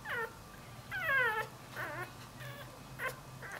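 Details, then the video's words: Newborn Dachshund-Jack Russell cross puppy wandering away from its mother, giving short high whines in rising and falling sweeps, several separate cries spaced about half a second apart, with a faint steady hum behind. "Puppy whines for Momma"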